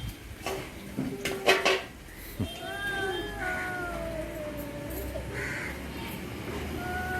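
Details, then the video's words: A cat meows with drawn-out, wavering cries, some rising and falling, after a few knocks and clatters at the start; steady background hum throughout. "cats making sounds"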